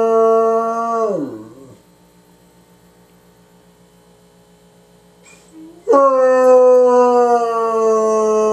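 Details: One of two abandoned bloodhounds, about 2.5–3 years old and newly taken in, gives a deep, drawn-out howl that falls away, pauses, then returns as a long, steady, resonant bay.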